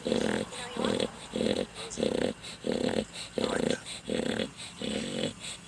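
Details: A dog snoring loudly in a steady rhythm of rough, throaty rasps about every 0.6 seconds, with human voices faintly audible between the snores.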